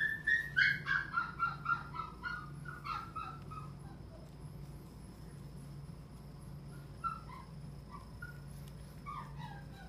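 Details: Dog at a pet shop yelping rapidly in high, sharp notes for the first few seconds, then fading to occasional faint yips over a steady low hum and quiet background.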